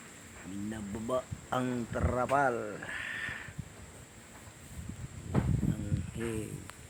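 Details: Newborn goat kid bleating: a quick run of quavering, wavering calls with strong harmonics, then a pause and a few more bleats later, with human voices and rustling around it.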